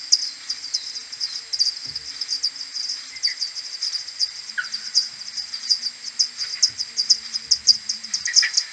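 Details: Common pipistrelles of a maternity colony arriving at the roost on a May morning 2022, AudioMoth 1.1 recording slowed tenfold: steady rows of repeated ticks from several bats, with occasional lower swooping chirps and faint low knocks.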